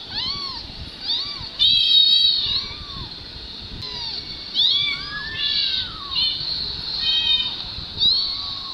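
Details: Kittens of a mother cat with two young, recorded on a mobile phone, mew in quick, high-pitched arching cries, some short and some drawn out and wavering, with a brief rasping burst near the start.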